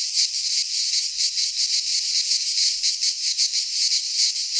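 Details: Cicadas in a Greek pine forest in midsummer, a dense continuous buzzing chorus, loud and high-pitched, pulsing roughly three times a second with no other sounds.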